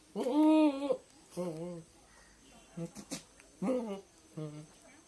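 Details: Goat giving loud, nasal bleats indoors: one long steady bleat, then several shorter ones with slightly falling pitch, separated by brief pauses and a few soft clicks.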